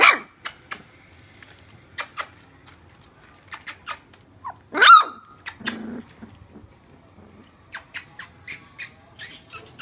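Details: Three-week-old Welsh Springer Spaniel puppies born to Alfie and Tilly, indoors; one loud, sharp, harmonic yelp sounds midway, followed by a brief low murmur, set among sparse dry clicks and taps.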